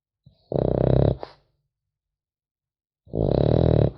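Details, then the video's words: A French Bulldog puppy snores in its sleep, giving two harsh, vibrating snores about two and a half seconds apart, the first ending in a brief snort, with quiet in between. "Храп щенка французского бульдога"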